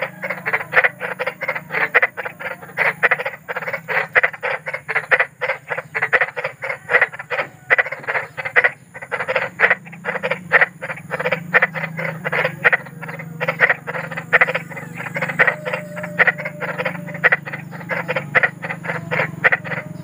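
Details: Big frog in the wild, described as eerie and soothing for bedtime: dense, fast rasping croaks continuing for twenty seconds, overlapping callers forming a chorus above a steady low rumble.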